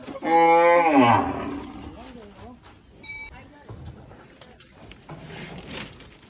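A cow gives one loud, drawn-out moo that falls in pitch and fades away.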